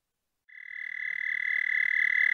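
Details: Toad singing at night on 30 May 2014, 11:13 p.m. CDT: after half a second of silence a steady, high, buzzing trill starts and swells slightly louder, holding one even pitch to the end.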